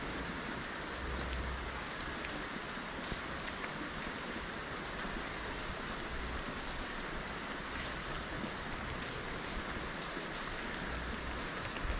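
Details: Steady rain-like hiss fills the whole recording outdoors in Morocco, with scattered drop clicks and no animal voice.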